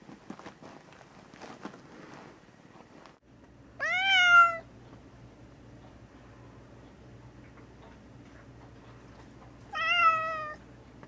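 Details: Gray tabby pet cat named Mouse, very vocal, confined indoors for a few days while under the weather and taking medication. Two loud, drawn-out meows about six seconds apart, each rising then sliding down, with quiet room hum and faint rustling earlier.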